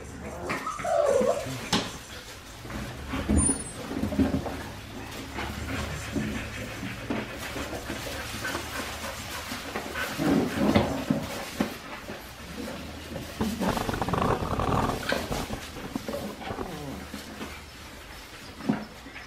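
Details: A litter of Australian Shepherd puppies, 4 weeks 5 days old, Winnie's pups, on a baby cam: one clear bending squeak early on, followed by scattered faint whines and rustles over a constant background hum.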